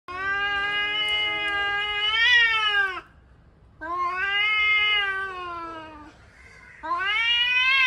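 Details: Angry male cats in an argument: long, drawn-out harmonic wails lasting two to three seconds each, rising slightly then bending, separated by short quieter gaps, with overlapping voices.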